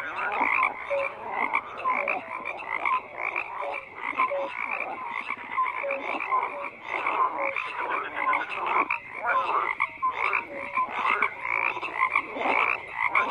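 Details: A thick frog chorus of continuous overlapping croaks, rough and rattling, with brief pure low notes repeating through the mix and the loudness rising and falling without pause.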